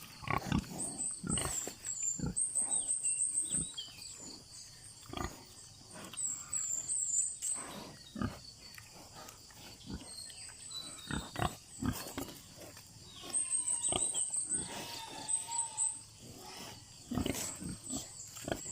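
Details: Domestic pigs on a free-range farm giving scattered soft grunts, while birds keep up frequent high, rapid trills and tweets through the recording.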